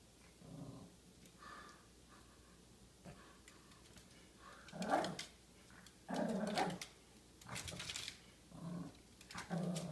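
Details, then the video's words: A pet dog indoors, going crazy and fighting off a vase it finds scary; low rumbling growls in short bursts, rising into louder snarling outbursts separated by brief pauses. "Dog fights vase"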